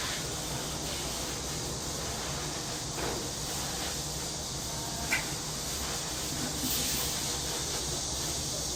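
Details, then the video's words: Cicadas singing in summer in a quiet Korean downtown back alley, a continuous bright rasping drone holding level throughout, over faint low urban rumble and a single small click midway. "도시 뒷골목 매미 소리"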